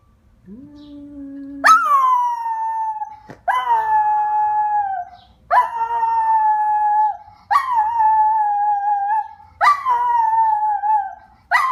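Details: Domestic dog howling in a series of drawn-out wails, each starting with a sharp rise and then sliding gently downward, repeated about every two seconds. A quieter, lower whine comes before the first howl.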